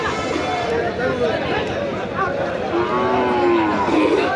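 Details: Bull calves at the Nandail Chowrasta livestock market, 15 May 2025. Drawn-out, wavering moos rise and fall over dense crowd chatter and constant market noise.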